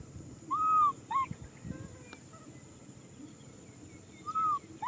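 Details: Young macaque crying for a hug, giving brief, bowed, tonal wails: a pair near the start and another pair near the end, with quiet rustling between them.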